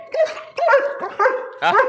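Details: Alsatian pet dog with a menacing attitude gives four barks spaced about half a second apart, moderately loud and tonal, with possible speech mixed in.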